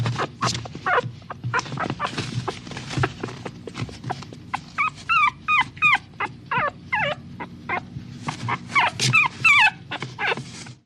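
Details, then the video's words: Whimpering of a small dog, starting with noisy snuffling pulses, then clear high whines that rise and fall, repeated in quick bursts before a brief pause and another run. "Small Dog Whimpering Sound Effect"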